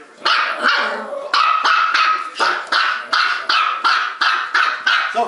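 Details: Two female pet dogs, Trixie, a Bichon Poo, and Sophie, a Maltipoo, barking non-stop indoors: about ten sharp, high yapping barks in quick succession, each bright and clipped, with short gaps between them.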